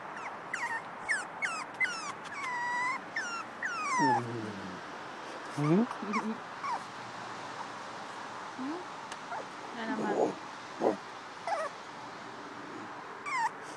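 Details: Eight-week-old Miniature Pinscher puppy, said to sound like a guinea pig, making thin high squeaky whimpers that slide down in pitch, in quick bursts, with a few lower whines and some speech in the background.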